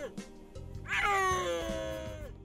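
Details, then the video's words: Snow leopard giving a cat-like 'ya-o' cry instead of a roar, a voice linked to its short vocal cords of about 9 mm. A drawn-out, high, harmonic wail lasting over a second and sliding slightly downward, with faint background music. "The snow leopard wouldn't roar like that. The voice is not low at all. It sounds closer to the cry of a cat. The sound is similar to the feeling of "YA~O~""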